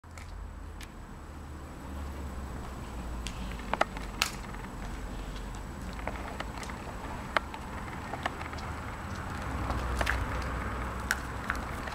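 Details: Scattered taps and knocks of objects being moved over a low indoor hum, no animal voice heard.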